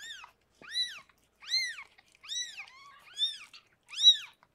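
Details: Rescued foster cat Harlequin delivering six kittens indoors; six loud, high, rising-then-falling mews come roughly once a second, clean and piercing, with quiet gaps between.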